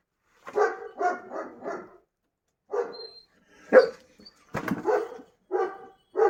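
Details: Kangal shepherd dogs being fed on a family farm: a quick run of four barks, a short pause, then single sharp barks spaced roughly a second apart, with a brief click near the middle.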